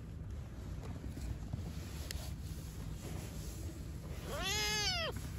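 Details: From newborn kittens and their mother living outdoors on the street: after several seconds of low background hum, a single strong meow bends upward then down, lasting under a second near the end.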